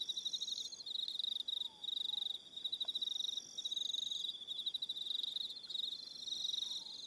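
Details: Evening crickets on Aroha Island, New Zealand, calling in a loud, shrill chorus of rapid pulsed trills. The bursts break off and restart every second or so, with fainter higher trills layered above and a few faint slurred notes far below.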